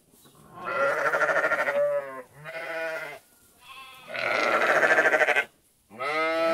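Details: Sheep giving long, loud, vibrating bleats, each lasting one to two seconds with a pulsing tremolo, alternating with shorter, softer, lower bleats in between.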